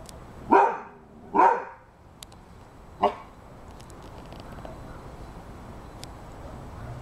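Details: Rhodesian Ridgeback dog with two quick, loud barks in close succession, then a third shorter bark after a pause, followed by several seconds of quiet background noise.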